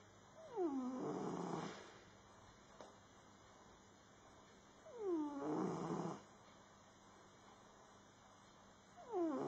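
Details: A sleeping cat named Max snores loudly, three breathy snores spread over about ten seconds, each beginning with a thin, falling whistle that becomes a coarse, airy rasp, separated by near silence.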